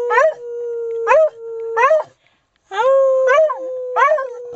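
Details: Male beagle baying before a walk after his owner asks him to sing: a sustained howl punctuated by short rising yelps about once a second, with a brief silence midway.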